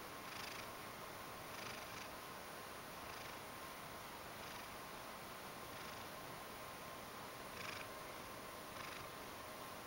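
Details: Ragdoll cat Mojio, fond of being stroked, purrs while seeking affection. Gentle rasping bursts recur roughly every second and a half over a steady background hiss.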